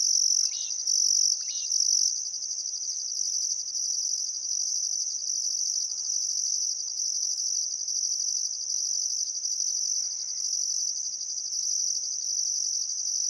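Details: Crickets chirping on a still summer afternoon at sunset beside the Barcoo River, Welford National Park, Outback Queensland, Australia: a constant high shrill trill with a pulsing higher band, plus brief faint bird calls near the start.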